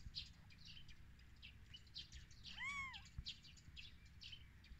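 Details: A single short, high, bent mew from newborn kittens on their first day after birth rises and then drops away. Small birds chirp and twitter all around it.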